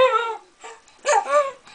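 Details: Small pet Jack Russell Terrier howling and talking indoors: a tonal, harmonic howl that slides downward, then a short break and a second rising-falling yodel-like wail, clear and close with no other sounds.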